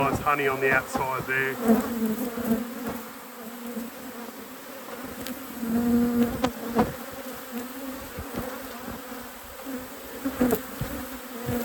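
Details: Colony of honey bees in an apiary, a constant low buzzing hum that swells and fades slightly, with a man's voice at the start and scattered clicks and handling noises.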